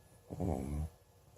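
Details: Cyrano, an old adopted cat, snoring loudly enough to wake his owner; one short, low, buzzy snore with a rumbling harmonic texture lasting about half a second, then quiet room hum.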